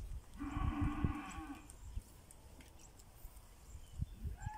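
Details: Pinzgauer cattle in South Africa on a rainy morning, heading to summer pasture; one low, steady moo lasting about a second, with rich harmonics, followed by quiet rustling and faint knocks.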